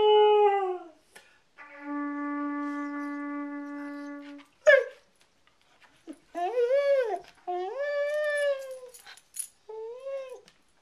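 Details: A dog howls and yips along with a flute, celebrating a reunion after six months' absence. A held flute note gives way to arching, wavering howls that rise then fall, with short whimpering breaks between phrases.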